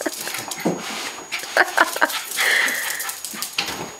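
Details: Cairn Terrier after a bath, whining indoors: a quick run of short high whimpers, then one longer, steady, thin whine, with scratchy rustling bursts around it and a faint constant electrical tone.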